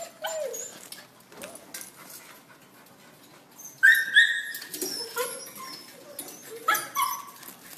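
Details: Dog producing scattered soft whines, then a loud, steady high-pitched whine about four seconds in, followed by a few shorter falling whimpers.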